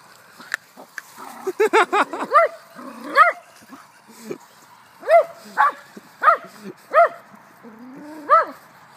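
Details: Little poodle fascinated with a toy car and chasing it, giving a run of short, high arched yapping barks, some in quick clusters, others spaced about a second apart, with a brief human laugh nearby.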